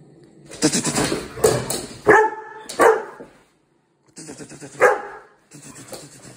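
A Weimaraner puppy lets out rapid, harsh barks in quick bursts, like a rattling volley.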